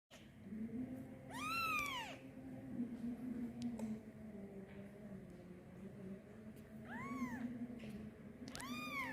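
A kitten gives loud, arching meows, calling for its mother, with pauses between cries.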